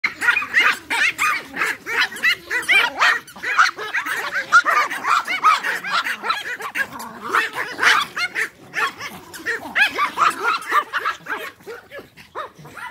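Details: Pack of Pomeranian toy dogs playing fetch, barking almost nonstop in sharp, high yaps that overlap and tumble over one another throughout, several dogs calling at once.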